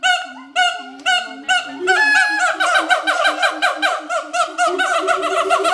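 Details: Two adult siamangs at Schmutzer Primate Center in territorial duet: loud booming barks give way to fast, regular rising whoops, about two per second, building into a continuous ringing series.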